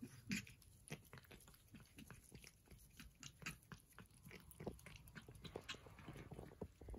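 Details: Persian cats at breakfast, eating: a steady run of soft, irregular wet clicks and crunchy chewing snaps, quiet and close, with faint low room rumble.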